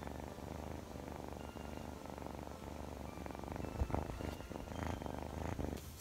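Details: Scottish Fold kitten Chloe, playful and clingy, purring with a continuous low vibrating rumble, rhythmic and even, a few small clicks and rustles near the end and faint high tones in the background.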